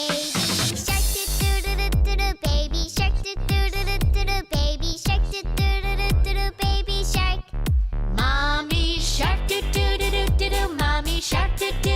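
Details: Upbeat electronic music with a steady deep bass pulse, punchy drum hits and bright melodic synth lines throughout.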